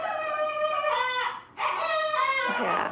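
A puppy howls in long, quavering, high-pitched wails, pausing briefly before starting again.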